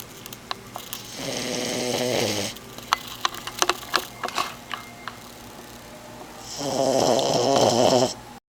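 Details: A 4-month-old, 12-pound French Bulldog puppy, asleep on a lap, snores in long, rattling, nasal breaths with a quiet pause between them.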